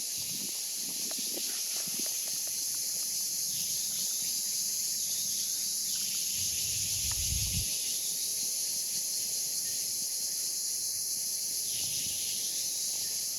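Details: Cicada song, a continuous shrill buzzing hiss with no pauses, while a lower, softer insect-like drone swells and fades in long waves behind it and brief low thumps sound early on.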